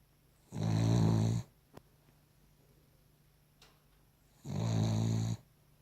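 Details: Sleeping Cavalier King Charles Spaniel giving two loud, rasping snores almost a second long, about four seconds apart, with a soft click in the quiet gap between them.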